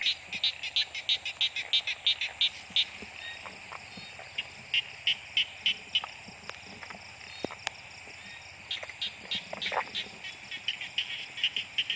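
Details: Narrow-mouthed frogs in heavy rain, hunted by torchlight and caught in large numbers for boiling: rapid, high-pitched pulsed calls repeating about three times a second in bursts, with short pauses, a steady background hiss and occasional sharp knocks.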